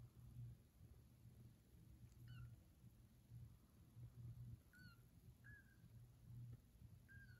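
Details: Foster kittens wandering and exploring a new house, giving short, high, thin mews with faint overtones, each briefly falling, about four in seven seconds, over a steady low indoor hum.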